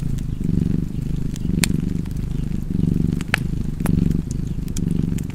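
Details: A cosy cat's continuous deep purr, pulsing in roughly one-second waves as the animal breathes in and out, while a wood fire crackles with occasional bright snaps.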